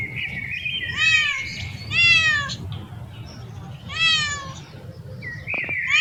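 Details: Cats and kittens exploring new places; three clear meows rise and fall about a second apart. A separate flat, thin tonal sound comes at the start and near the end, with low rumble underneath.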